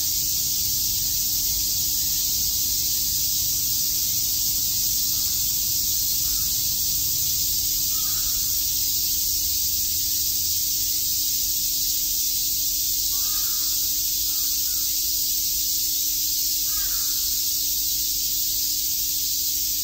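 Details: Summer cicada chorus in Tokyo's Shakujii Park, a continuous shrill hiss-like buzz filling the high register without pause, while a few faint, brief chirps in a lower pitch surface now and then around the middle and end.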